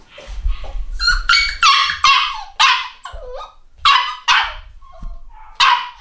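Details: Home-bred black Cockapoo puppies, eight weeks old, from a UK litter, yap in sharp, high-pitched barks, some single and some in quick pairs, spaced irregularly over six seconds, with brief whiny squeaks between, indoors.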